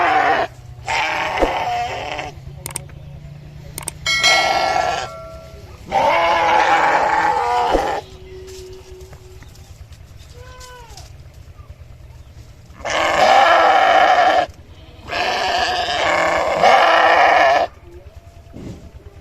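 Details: Sheep calling repeatedly, six loud quavering bleats of one to two seconds each spread across the recording, with a few short whistle-like chirps and clicks between them.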